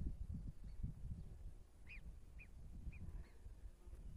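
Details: Marmots greeting hikers on arrival during a hike at the Col du Fanget in the French Alps; a few short, high whistled calls, faint and spaced about half a second apart, over low wind rumble and handling noise.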